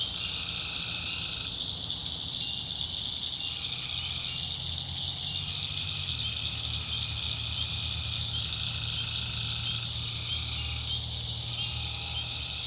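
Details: Tree frogs at night in the North Carolina backwoods: longer buzzy nasal notes, some held for several seconds, layered over a continuous shrill high hum and a soft low rumble.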